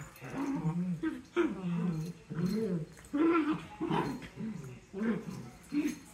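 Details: Fighting dachshunds making low, throaty growls and grumbling whimpers in uneven bursts roughly every second, with faint human speech behind them.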